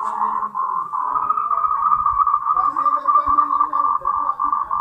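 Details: Moltrecht's green tree frog, endemic to Taiwan, gives its mating call as quick bursts of pulsed croaks at mid pitch. Short breaks divide the calling, and lower murmuring tones sit beneath it.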